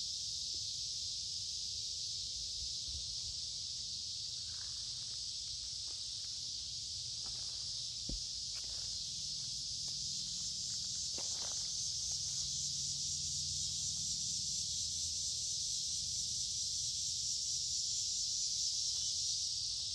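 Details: Many cicadas sing along a wooded creek in midsummer on a warm, humid day: a steady, shrill, unbroken high buzz fills the air throughout, while footsteps crunch faintly underneath.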